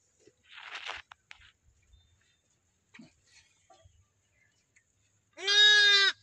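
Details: A one-day-old newborn lamb in a village gives one high, steady, nasal bleat near the end, after some rustling and crunching.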